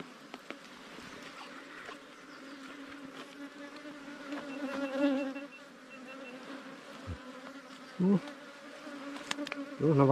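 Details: Small wild ground bees swarming at their underground cavity nest while being harvested. A continuous low hum swells briefly midway, with a few loud knocks near the end.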